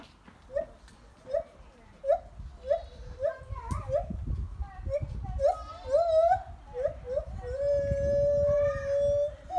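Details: On the Isle of Wight, lar gibbons (white-handed gibbons, Hylobates lar) sing a series of rising hooting notes that quicken, ending in a long, sustained, high-pitched tone.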